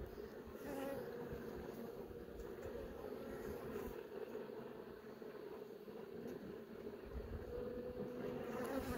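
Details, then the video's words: Quiet, even drone of a honey bee hive during an inspection, with young bees emerging from brood cells; a soft mid-pitched buzz holds with little change, under faint higher whines and light clicks. "Honey bee - Young bee emerges."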